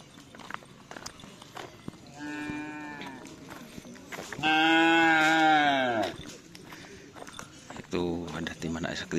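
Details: Bulls at karapan sapi race training on the Asemanis field; a short low moo is followed by a loud, long, harmonic-rich bellow that falls away at the end, then another deep moo, with clapping and voices in the background.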